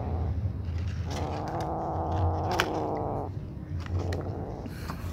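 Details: Little black kitten eating and trying to keep its siblings away gives a drawn-out, tonal, harmonic growl of about two seconds, set over a steady low rumble and short clicks.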